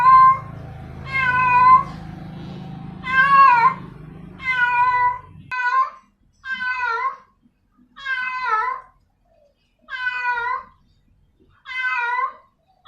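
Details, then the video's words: Repeated loud, wavering yowls of a female domestic cat calling for a male, about eight calls; a low humming noise runs beneath the first half, then the calls continue over near silence. "sound of a female cat calling a male cat"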